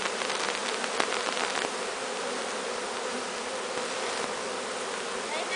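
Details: Bees from a swarm taken from a large tree being walked into a new hive; an unbroken mid-pitched hum, with a few soft ticks early on.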